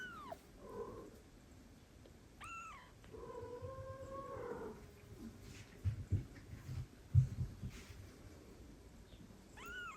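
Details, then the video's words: An older female house cat meets an adopted foster kitten indoors, sharing the same room. Several meows are heard: short rising-falling cries and one longer, drawn-out wavering meow, with faint thumps and room noise. "The older sister meets the adopted kitten Meow"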